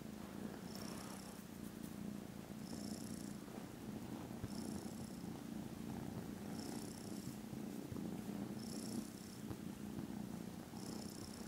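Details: Loud, unbroken rumbling purr from contented foster kittens snoozing after lunch on Friday 18th December, with a soft breathy hiss recurring about every two seconds.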